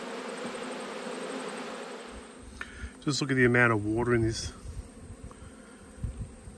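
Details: Honey bees in a hive during an autumn inspection: a dense, low hum for the first three seconds, then a man speaks briefly over the buzzing, which continues faintly afterward.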